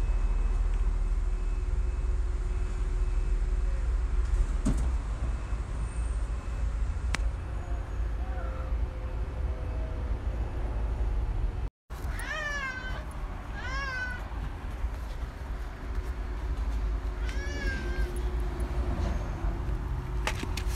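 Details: Nene, a cat, being called on 4 June 2024; a few short arched meows come in the second half, each rising then falling, over a steady low traffic rumble, with a brief cut midway.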